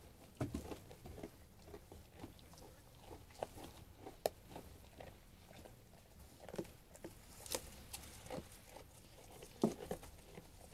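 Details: Sheep eating food indoors: sparse crisp bites and crunches separated by short quiet gaps, a few louder snaps standing out, with a faint low background rumble.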